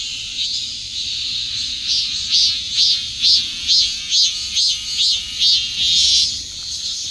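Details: Cicada buzz that builds from a steady high hiss into a clear series of about nine rhythmic, evenly spaced pulses, each a short swelling burst roughly every half second, then settles back.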